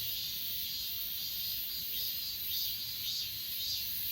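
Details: High, shimmering insect chirps from Achasan mountain's grass insects, pulsing about twice a second above a constant shrill background drone, captured on an S20 Ultra phone.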